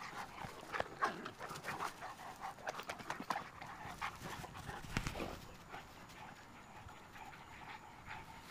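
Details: Cane Corso dogs playing together: rapid, airy panting puffs over the first five seconds, then easing into quieter, steadier breathing.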